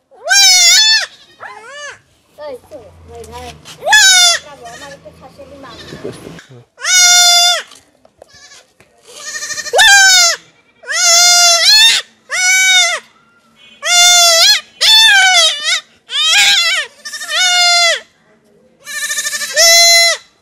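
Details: Castration of a goat kid, with a long run of harsh wavering bleats, a dozen or more, coming faster as the procedure goes on; brief low speech is heard in the first seconds.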